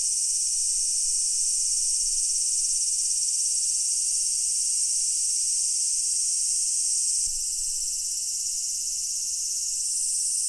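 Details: Massed cicada chorus recorded at Daichu-ji temple, Ohira, a steady high-pitched shrilling wall of sound with no pauses. It eases slightly in loudness partway through and then carries on unchanged.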